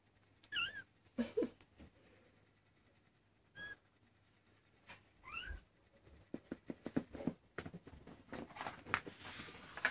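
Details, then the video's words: Maine Coon kittens, 23 days old, give three thin high-pitched meows spaced a few seconds apart, each arching up then sliding down, between bursts of tapping, clicking and rustling. "Chatons maine coon 23jours!"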